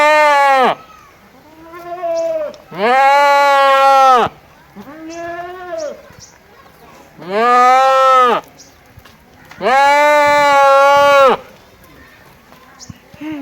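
A goat gives loud, quavering bleats, each lasting one to two seconds, with quieter bleats in between.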